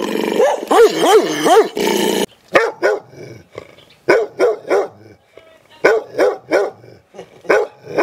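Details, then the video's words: Dog barks in rapid bursts: a trio of rising-falling barks over noise, then sharp barks in groups of two to four, roughly three per second, with brief silent gaps. "Hundebellen, Bellender hund sound, Dog barking"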